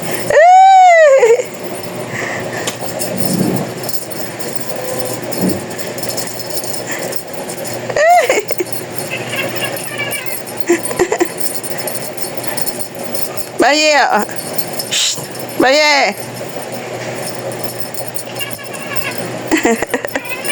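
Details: A talking cat meows loudly at the start with a long rising-then-falling cry, then gives shorter arched meows near 8, 14 and 16 seconds, over constant jingling, rattling background clatter and faint music-like noise.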